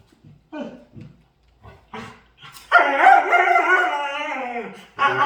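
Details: Dog making funny sounds while playing: a few short yips, then a long, loud, wavering howl-like moan with rich harmonics lasting about two seconds, followed by another strong burst.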